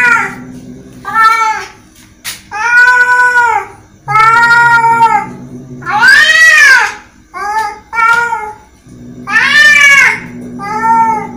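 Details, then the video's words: Angry cat meowing repeatedly in loud, arched, nasal wails of one to two seconds each, some short and clipped, over a faint steady low hum. "Angry Cat sound"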